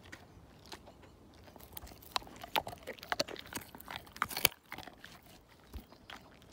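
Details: Siberian Husky named Slim working a bone down; dense crunching and clicking of teeth on bone with one sharp loud crack, over a hissy background.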